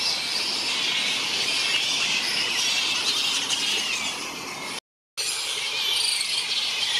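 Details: Grey-headed flying foxes in a large fruit bat colony on the NSW Mid North Coast, Australia: a dense, continuous wall of high squeals and chattering from many bats at once, broken by a brief silent dropout near the end.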